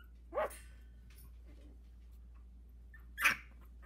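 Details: Two loud, brief yelps about three seconds apart from a 16-day-old Havanese puppy, one of a litter of four in a whelping box, with a faint squeak between them and a low hum.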